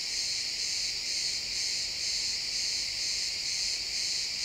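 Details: A dense, steady cricket chorus in a pine forest at sunset, high and shimmering, pulsing gently about twice a second.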